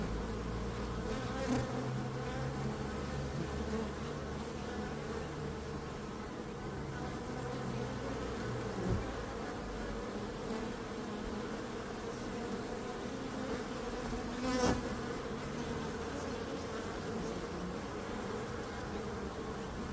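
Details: Swarming bees give a continuous deep buzz, with a lower rumbling hum early on and a sharp click around fifteen seconds.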